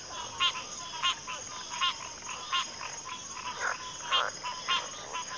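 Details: Backwater frogs calling in chorus, with sharp, raspy croaks spaced about every half second and a few lower, softer notes between them, set against a constant high-pitched insect hum.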